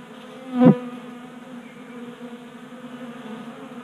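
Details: Honey bees feeding at a 3D-printed tabletop feeder in a Colorado garage, active in a warm January spell; a steady low droning hum with one louder buzzing bee passing close near the start.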